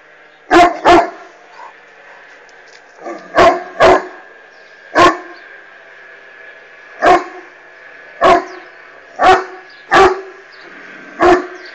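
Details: Irish Wolfhound barking at a hot air balloon flying overhead; repeated deep barks, some in quick doubles, at irregular intervals of one to two seconds, with a steady faint hum behind them.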